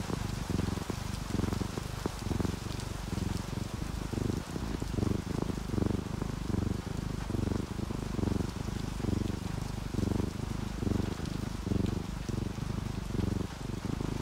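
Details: Relaxed domestic cats, an orange tabby and a calico, purring while asleep, with rain added for calm; a deep, throbbing purr rises and falls about once a second, over continuous rain and raindrops.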